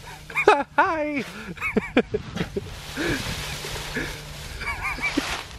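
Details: Husky named Nora playing in her leaf pile, giving short bursts of rising-then-falling yelping whines and barks, several in quick succession, with crunching leaves and rustling between the calls.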